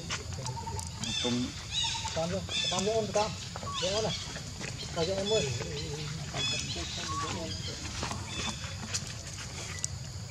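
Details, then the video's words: Hungry baby monkey Leo cries to its mother for milk, which she will not give: a rapid run of wavering, rising and falling whimpers, repeated many times over outdoor background noise. "Very Pitiful Baby Too Much Hungry Need Milk Mom No Permit I Lovely Baby Monkey."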